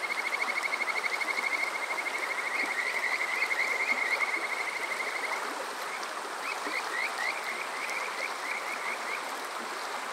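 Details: Summer-night chorus of Kajika frogs recorded at Water Park Shirayama, Yokoze, Chichibu, Saitama: a rapid trill of high whistled notes for five seconds, then spaced rising chirps, all over constant stream noise.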